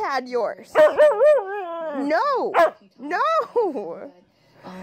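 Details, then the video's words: A husky sings long, wobbling woo-woo notes that swoop upward and waver at the top, followed by a shorter pair of rising and falling phrases. "Husky Singing & Talking"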